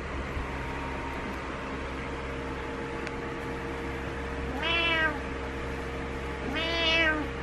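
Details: Butters the cat meowing in the morning, frustrated and wanting its owner to get up; two drawn-out harmonic meows, each about half a second, roughly two seconds apart, over a steady indoor hum.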